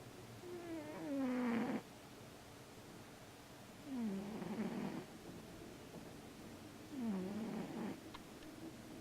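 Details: Sleeping male Siamese cat, dreaming and stirring, producing three raspy snores about three seconds apart, each gliding down in pitch and ending in a breathy rush, with quiet background between.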